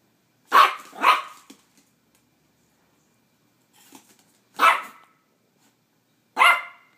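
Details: Silky-Poo dog scared of an ice cube barks indoors: a quick double bark, then a soft sound, then two more single sharp barks spaced about two seconds apart, in a quiet small room.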